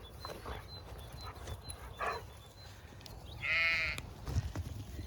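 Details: Zwartbles sheep ewes and ewe lambs at morning feeding time on a regenerative farm in County Kilkenny, Ireland, on a misty spring morning; one short wavering bleat breaks through dawn birdsong and soft background noise.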